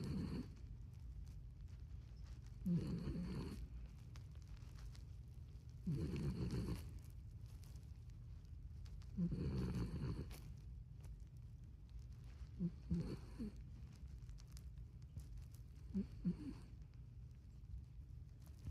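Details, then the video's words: Little dog asleep at home, snoring in slow rhythmic rasps spaced about three seconds apart, the later breaths softer and shorter, with a constant low hum underneath. "Little Dog Snoring"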